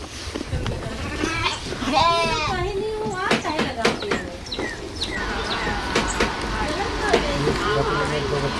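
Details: Goat on a farm after giving birth to two kids: a wavering, quivering bleat of about a second, mixed with Hindi speech, background music and clattering farm noise.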